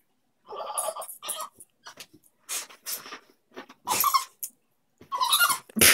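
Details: Pet dog indoors, making noises likened to a dolphin's, while fussing over a cat toy: a run of short, squeaky, harmonic whines and squeals in separate bursts, with brief breaths between.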